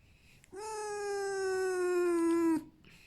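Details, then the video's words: Pet red fox indoors making a squeaking whine while wanting to be hugged and petted, happy rather than in pain; one steady, drawn-out nasal tone lasting about two seconds, slightly falling at the end, in a quiet room. "Как выключить скрип лисы"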